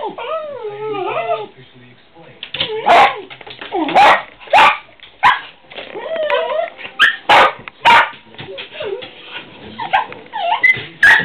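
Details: Pet dogs barking at squirrels: a run of sharp barks and yips, roughly one every second, with wavering whines in between and early on; a person talks briefly.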